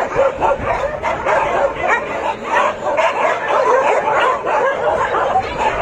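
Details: Many dogs at a dog shelter greet arriving visitors with a dense, continuous chorus of overlapping sharp barks and yips, some higher and whiny, with no pauses; faint human voices underneath.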